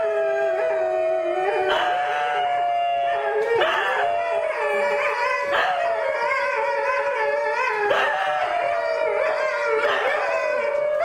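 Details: New Guinea singing dog named Darwin, wearing a blue harness, howling: sustained harmonic tones near one pitch, with fresh rising onsets about every two seconds and gliding overtones layered over a steady, even hum.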